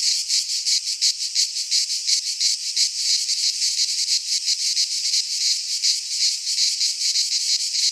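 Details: Cicadas singing in midsummer in a Greek pine forest, a dense continuous buzzing chorus pulsing roughly three times per second, bright and high, with no other sounds standing out.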